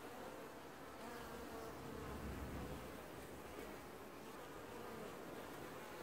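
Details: An apiary colony of honey bees washboarding at the hive in early July 2019, heard as a continuous broad hum with a faint tonal line and a brief low surge around two seconds.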